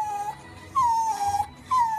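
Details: Pleading Miniature Schnauzer wanting to go for a walk, giving three clear whines, each a steady tone that starts slightly higher and slides gently down, with soft music in the background.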